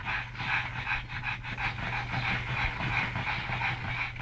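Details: Two pug brothers, rescued from an animal shelter in Malta, wrestling and playing together indoors; fast rhythmic panting, about three breaths a second, steady throughout, with a low constant hum underneath.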